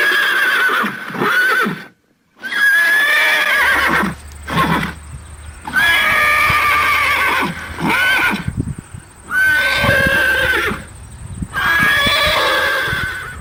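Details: Horse neighing repeatedly, loud trembling whinnies with wavering high tones, several in quick succession over thirteen seconds, with a steady high hiss and low hum in the background.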